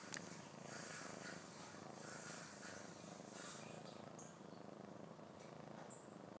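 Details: Six-month-old kitten purring close by: an even, buzzing rumble that runs without a break, with a sharp tap at the start and a few faint high chirps in the background.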